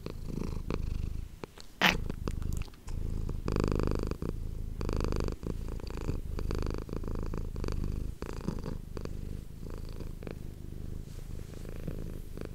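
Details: A purring domestic cat called Manis, recorded indoors with an ASMR microphone: a loud, low rumble pulsing with each breath, opening with a sharp rustling burst, followed by steady purring and occasional faint taps.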